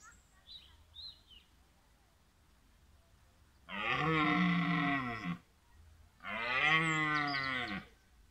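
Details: A red deer stag (Cervus elaphus) gives two long, deep, rasping rutting roars that swell and fade, each over a second long, at Willingen wildlife park, Germany, on 15 October 2018 during the autumn rut.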